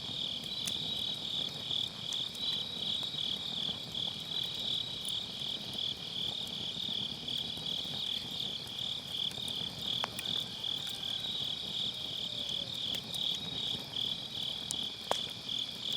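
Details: Autumn-night grass insects singing by a campfire in a round fire pit, Sennheiser MKE600 with low cut: an unbroken shrill pulsing chorus, overlaid by intermittent crackles and pops from the burning firewood.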